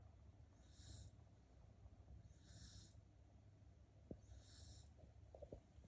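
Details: Sleeping dog snoring very loudly: three breathy, hissing snores spaced a second or two apart over a steady low rumble, with a couple of faint clicks near the end.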